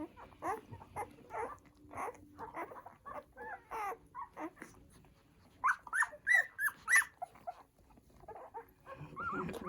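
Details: Newborn poodle puppies nursing on their first day of life: a rapid run of short, squeaky whimpers, roughly one or two a second, with a cluster of louder, whistly squeals near the middle.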